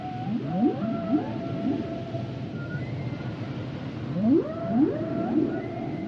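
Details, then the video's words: Underwater humpback whale song with rising whoops in pairs, each sweeping up into a held tone, a lull, then another pair of upswept cries and faint high whistles above low rumble. "Sounds and Songs Of The Humpback Whales"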